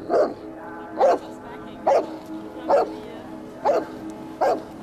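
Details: Bernese Mountain Dog, angry after a snapping turtle attacked it, barking at the turtle: six loud, hoarse, mid-pitched barks, evenly spaced a little under a second apart.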